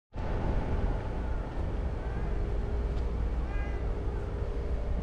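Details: Stray calico cat in a park, waiting on the stairs for someone to pet it, gives a few soft, short meows with faint rising-falling tones over a steady low rumble of traffic.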